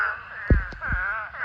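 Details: Dense chorus from a pond swarm of thousands of mating spadefoot toads: drawn-out, moaning calls overlap steadily, with a few low thumps of nearby handling noise.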